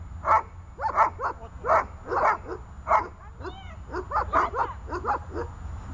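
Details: Runa, a dog in training for holding and barking at a target, gives loud, harsh barks in uneven bursts, sometimes doubled or tripled, with a brief high whine midway over a low background hum.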